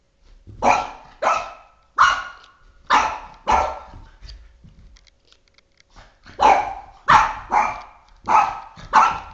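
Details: Indoors, a Boston Terrier named Oscar, three and a half years old and fixated on flashlights, fires off sharp barks in two volleys of about five each, separated by a quieter gap of small scuffling sounds.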